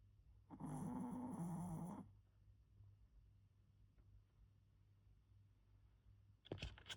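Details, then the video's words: Sleeping Pomeranian Kongtteok gives a single rasping snore lasting roughly one and a half seconds, followed by several seconds of near silence in a small room and a brief rustling noise at the close. "코골고 자는 포메라니안 콩떡이"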